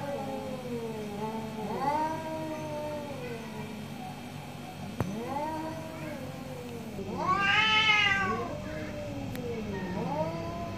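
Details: Two orange cats trade long, quieter meows in the morning. The calls rise and fall, with one louder, higher wailing meow near the end over steady low background hum.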